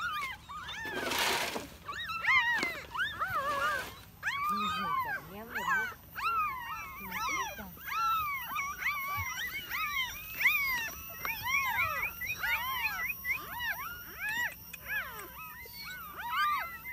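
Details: Newborn puppies rescued from a hole in the ground, nine found in all, whimpering outdoors in a dense overlapping chorus of high arched yelps and whines, with a brief burst of noise near the start.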